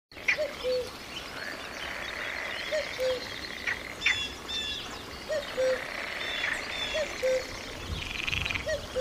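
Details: Frog calling by a forest river: short, low tonal notes, each dipping slightly, repeated about every two and a half seconds, with high bird chirps and a steady background hiss.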